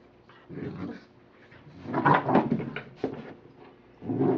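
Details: American Pit Bull Terrier named Rocky, playing with his toy in a small room, lets out rough growling bursts: a short one, a longer rising snarl in the middle, then another growl at the end.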